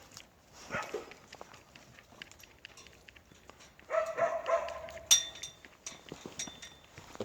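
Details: Native Korean Jindo dogs at a breeding kennel: scattered faint barks and clatter, then a run of tonal, ringing barks with a yelping edge midway, followed by a sharp high yip and lighter movement noises.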